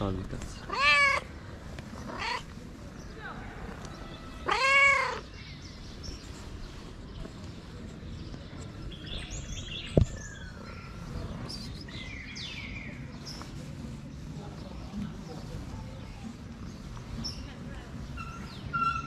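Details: Tabby cat living on the street meows three times in the first five seconds, the loudest calls arching in pitch, followed by quieter scattered chirpy sounds and a sharp click amid soft background hiss.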